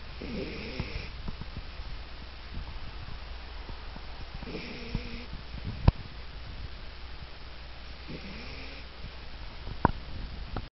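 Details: Dog named Taisa snoring while asleep: low rumbling breaths in slow cycles roughly every four seconds, each with a brief higher nasal whistle, plus a couple of sharp clicks.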